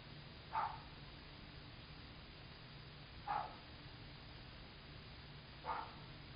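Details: Javelina recorded close up on 20 September 2018 at 7:45 PM, giving three short, sharp barking grunts roughly two and a half seconds apart over a steady low background hum.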